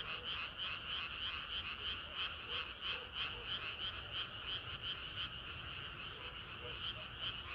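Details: Summer-night frog chorus, many frogs croaking together in quick repeated pulses about three per second, with a few lower, softer croaks beneath the dense high-pitched layer.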